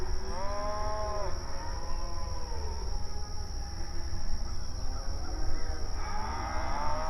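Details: Mournful nighttime mooing from cows: a loud rising-then-falling moo opens, softer moos follow in the middle, and another strong moo swells at the end, all over a steady low hum and a thin high whine.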